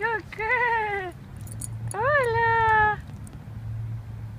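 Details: In the morning, a Bull Terrier gives two drawn-out, high whining cries, each rising then sliding down, over a low hum.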